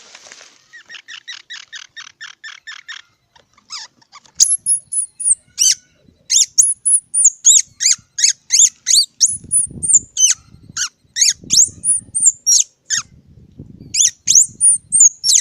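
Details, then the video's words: Squirrel first giving a quick train of soft buzzy pulses, then a long run of loud, very high whistled squeaks that bend up and down, with low thumping sounds underneath. "សំលេងដង្ហែន Squirrel 🐿️ Sound"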